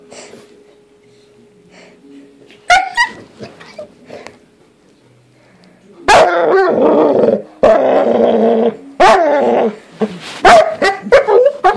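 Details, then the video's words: Doodle dog vocalizing indoors: after quiet faint sounds, a sudden bark, then long raspy, growling moans and a string of sharp, squeaky barks in quick succession. "Doodle makes some new sounds"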